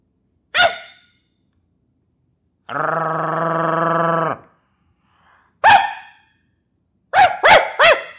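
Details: A person imitating a Yorkshire Terrier gives sharp, high yappy barks and one sustained, tonal growl between them.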